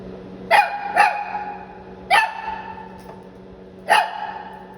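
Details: Shih Tzu puppy from San Antonio, Texas, giving four sharp, ringing barks indoors, two close together, then one after about a second, and a last one near the end, over a steady low electrical hum.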